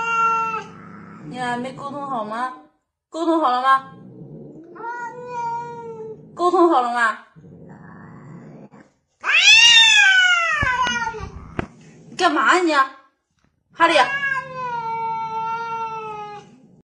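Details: Cats meowing in a series of varied calls, some short and clipped, others long and wavering with a rising start and slow fall, interleaved with brief human voices in a small indoor space.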